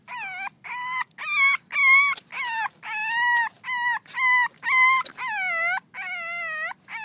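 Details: Six-week-old French Bulldog puppies playing, giving a rapid series of high, tonal whines and yelps, about twelve separate cries, each slightly arching in pitch and evenly spaced in quick succession.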